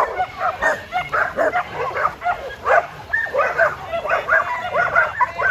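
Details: Jed, a tri-colour male Border Collie almost seven years old, barks on a farm to keep people on time. Short, sharp barks come in an uneven, rapid series with no pause.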